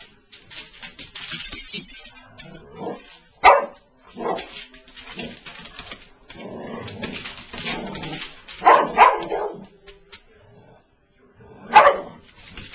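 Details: A Boston Terrier, upset at a new plush Mickey Mouse toy, lets out sharp barks at irregular intervals, with softer whines and throaty grumbles between them, close by in a small indoor room.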